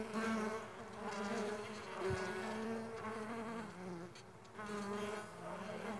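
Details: Stingless bees of the Mandaçaia kind flying, producing a wavering buzzy hum with layered tones, one short thump, and passes that grow louder then softer.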